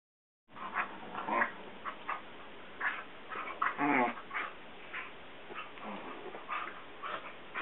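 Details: Two Basset Hounds, Guinness (almost 7) and CJ (almost 3), playing indoors as Guinness lies on the couch after waking; irregular short yips, whimpers and grunting bursts, one stronger harmonic whine near the middle.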